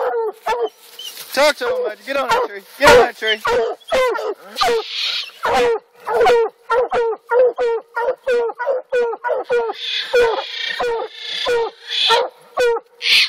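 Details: Coonhounds, black and blue dogs, treeing a raccoon in Alabama; rapid chopping barks from several dogs in dense overlapping bursts, some brighter hissy noise between barks, constant low hum.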